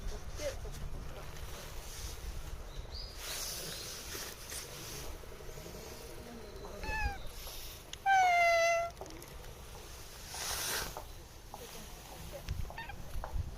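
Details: Talked to at a shrine where it lives, a cat lets out a short chirp-like call and then a loud, long, gently falling meow, set against faint background noise and occasional rustles.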